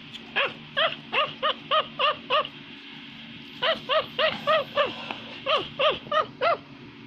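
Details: Ring-tailed lemur in Madagascar, walking and climbing a tree while shouting at neighbours: bursts of short, arched, harmonic yelping calls, about three per second, in two runs split by a brief pause, over a low steady hum.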